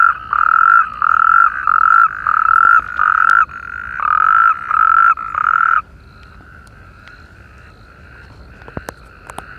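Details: Natterjack toad chorus in irrigation canals by Perales del Río, Parque Lineal del Manzanares: a close caller gives about ten loud rattling trills in rapid series, then stops, leaving a softer continuous trill from farther toads and a few clicks.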